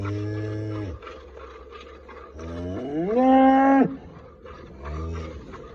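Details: First-calving red Friesian cross cow in Pakpattan moos three times: a brief low call, then a long loud moo that climbs in pitch and holds before cutting off, and a third call starting at the end.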